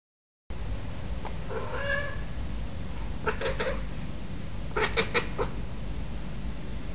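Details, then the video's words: Female pet Bengal cat in a garden, talking to a bird walking across the bottom of the garden, which she does only when birds are around: a few short, tense mewing chirps in three bursts, with faint clicks and low background rumble. "My Pet Cat Talking to Birds"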